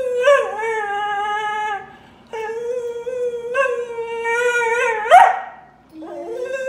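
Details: Crying dog indoors: loud drawn-out tonal howls, several in a row with brief breaks, a sharp yelp near the end, then a low short whine rising again.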